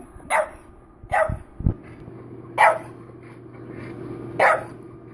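A French Bulldog gives short, hoarse barks spaced a second or two apart in protest.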